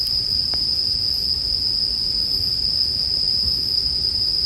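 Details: Bell crickets ringing in a steady, unbroken high-pitched trill throughout, blended with a crackling bonfire for sleep background sound; a single sharp pop near the start over a low, soft rumble.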